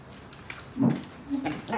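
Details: Great Pyrenees and German Shepherd puppies, brothers, play-fighting: two short, low, rough growling grunts, the first near the middle and a longer one toward the end, over a quiet background with faint scuffling.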